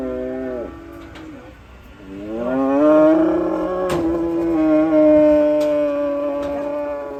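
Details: Cattle in a compilation of raging cows, giving a loud, long harmonic moo that rises at the start and then holds steady for several seconds, with a shorter lower call before it and a few sharp clicks.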